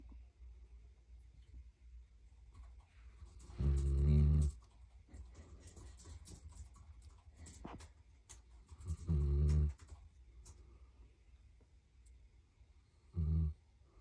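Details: Daniff puppy snoring while asleep and dreaming indoors. Three deep, rough snores, each about half to one second long, come roughly every five seconds, with quiet breathing and faint rustling between them.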